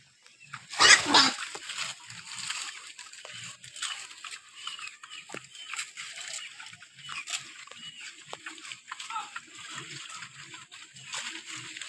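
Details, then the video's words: Wild boar active in the morning: one loud, harsh squeal bursts out near the start, followed by scattered soft, low grunts under a steady high insect hum and faint high chirps. "activities of wild boar in the morning"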